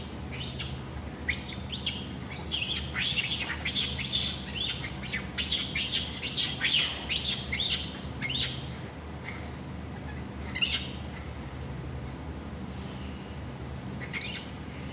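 A monkey gives harsh, shrill screeches in rapid, uneven bursts over a low steady hum.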